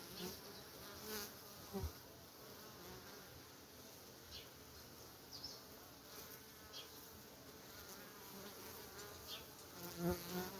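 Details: Honey bees at the entrance of a hive, moving back and forth without fanning their wings: a soft, steady, breathy hum with faint flickers of individual wingbeats throughout and a few light knocks.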